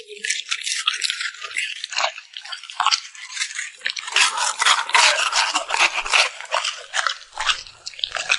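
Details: A cute puppy chews and smacks its lips over frozen yogurt and freeze-dried treats. Sharp crackling clicks repeat roughly once a second or faster, growing denser and louder midway.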